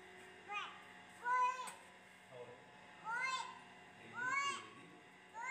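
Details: Tiny tortoiseshell kitten, thought female and only a couple of weeks old, crying in the dark of a concrete pipe in a paddock. Five bent, harmonic-rich mews, some paired closely, with a steady hum underneath.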